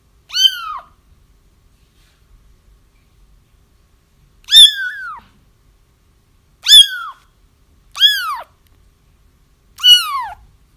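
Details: Crying kittens, played to draw in a feral mom for trapping. After a long pause, a few sharp arched mews come in close succession, each bright and harmonic-rich, sliding downward.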